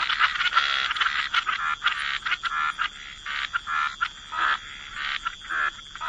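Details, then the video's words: Frogs croaking at the waterside in a wetland, rapid rasping calls overlapping into a chorus, with louder distinct bursts standing out roughly every half second. "Frog Lullaby: Relax to the Sound of Croaking Frogs"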